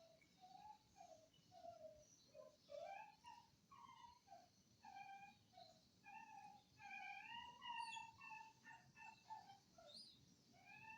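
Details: Indonesian village dog recorded on Friday 18 November 2022, producing a long run of pleading whines, each brief and bending up or down, spaced about half a second apart, over a faint hiss.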